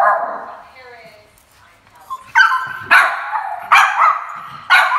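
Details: Jack Russell Terrier woken by a visiting carpet python. Quiet, voice-like sounds come first, then sharp, loud barks break out at roughly one-second intervals toward the end.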